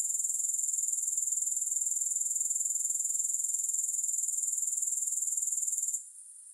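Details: Steady rapid-pulsed grasshopper buzz, thin and high, running unbroken for six seconds before dropping sharply to a faint remnant at the end.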